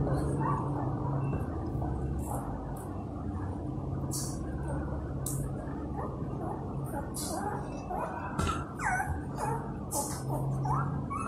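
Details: Newborn Golden Retriever puppies, eyes not yet open, hungry and calling for their mother to nurse: thin high whines and squeaks, some rising, scattered through the clip over a steady low hum and rustling background noise.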